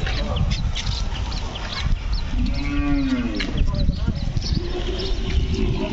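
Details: At the Kelamangalam cow market, a Hallikar bull calf gives a single moo lasting about a second, rising then falling in pitch, while people talk all around amid general market bustle.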